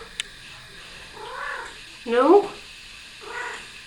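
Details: Domestic cat sitting on a person's shoulders indoors, one short rising-falling meow midway, with faint softer mews before and after and quiet household background.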